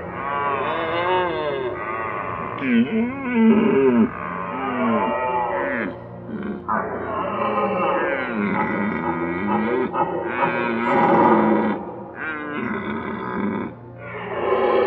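Red deer roaring in deep, drawn-out bellows that swell and fall, several overlapping one another.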